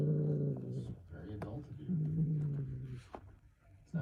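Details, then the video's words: A house cat snoring in a way that sounds like a dad snore or a fart: deep, rough, droning rumbles under a second long, fading out between breaths, with faint clicks and rustles. "My cat sounds like a dad snore or a fart"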